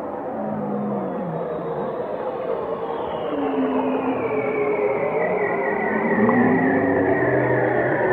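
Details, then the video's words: Singing whales: a thick web of drawn-out tonal cries, with low moans, mid-pitched wavering wails and a high warbling glide, overlapping continuously and steadily loud throughout. "chant des baleines"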